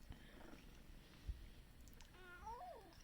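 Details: Domestic cat yawning indoors and voicing a drawn-out 'a-uun' near the end, a short wavering tonal moan that rises then falls, after quiet low rumbling and faint room noise.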